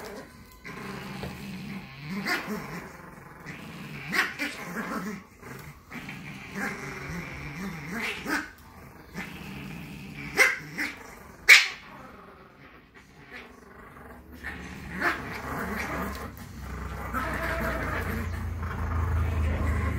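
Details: Monday morning in the round bed with Chihuahuas Tallie and Ivy: rolling growls rise and fall in short bouts, with snappy clicks and scuffles between them and a low rumble building near the end.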